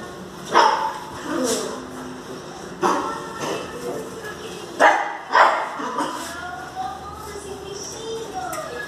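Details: Jagdterrier in Brazil during a shift change, giving several sharp, loud barks spaced a second or two apart, mixed with people talking nearby.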